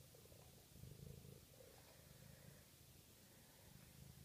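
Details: Close, rumbling purr of a Maine Coon kitten aged six weeks, a continuous low vibrating drone that is loudest in the first second and then holds even and unbroken.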